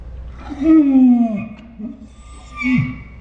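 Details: Pet Saint Bernard Ours producing a dinosaur-like 'talking' noise: a strong, slightly falling groan of about a second, a short quiet murmur, then a brief second grunting groan, in a quiet indoor room.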